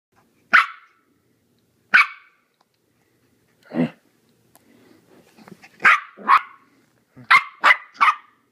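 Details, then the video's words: Timothy, a four-month-old Maltese puppy in a hyper, playful mood, gives sharp high yappy barks, single at first then in quick clusters of two or three, with faint rustling between them. "Four month old Maltese in HYPER MODE"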